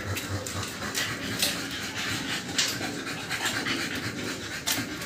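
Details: Two-month-old American Bully puppies, just given their second 5-in-1 vaccine, panting in quick, uneven breathy bursts of hiss, with a steady low mechanical hum running underneath.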